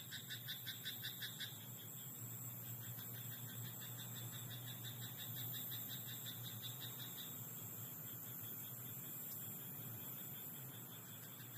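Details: In a rice paddy at night a frog opens with a loud, rapid string of pulsed croaks, then continues in softer rattling runs that fade away, with steady high whining background noise throughout.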